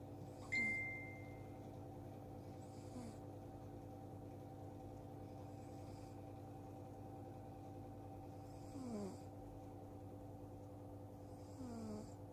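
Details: Sleeping cat snoring at irregular intervals, each snore a faint breathy sound sliding downward in pitch. A constant low hum runs underneath, and a brief thin whistle-like tone sounds near the start.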